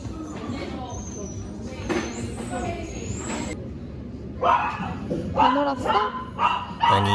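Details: Maltese named Duyu at a dog cafe, barking in a run of sharp yaps in the second half, several in quick succession, after a quieter stretch with human speech and background chatter.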